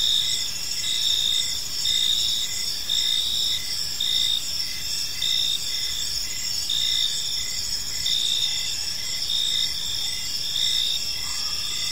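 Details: Chorus of crickets in a peaceful park at evening: shrill sustained trills plus evenly spaced short chirps, near one per second, forming a constant high-pitched wall of sound.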